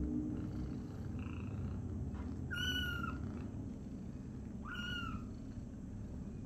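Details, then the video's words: Kitten crying out as its mother cat sits on it by accident: two short, strained, harmonic cries about two seconds apart, each bending downward at the end, over a constant low hum. "Mom Cat sit on her Kitten by accident, Kitten screaming"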